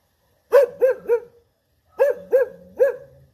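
An English Cocker Spaniel barks in two quick bursts of three sharp, mid-pitched barks.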